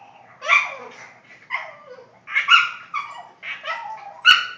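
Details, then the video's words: Boston Terrier making funny noises: five loud whiny, yodel-like vocal bursts, each rising then sliding down, spaced roughly a second apart, ending with a sharp click. "My Boston's making funny noises"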